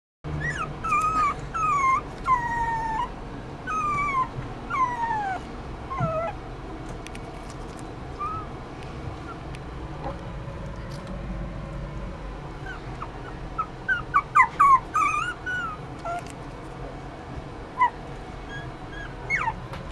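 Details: A Poodle x Maltese mix puppy whimpers in thin, high whines that slide downward. A cluster of whines fills the first six seconds and another comes near the middle, each whine short, over a steady low background hum.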